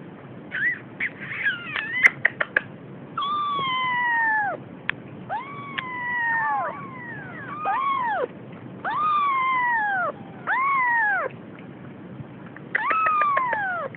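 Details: Almost three-week-old female Siamese kitten exploring and frightened, giving a busy run of meows: short chirpy cries early, then longer descending wails and overlapping arched calls, some sliding downward, with a few clicks and brief pauses between.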